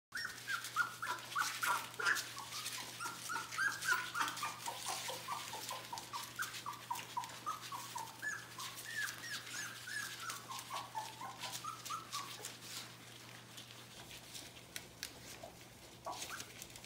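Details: A crowd of fourteen 3-week-old puppies from two litters at a kennel gives a continuous chorus of high, overlapping whimpers and squeaks, many per second, rising and falling over a steady low hum.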